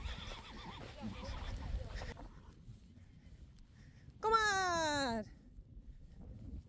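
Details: Friesian horse among foals and colts, some foals placed with the wrong mothers: a single loud whinny lasting about one second, falling steadily in pitch with rich harmonics, preceded by muffled talking and low rumbling background.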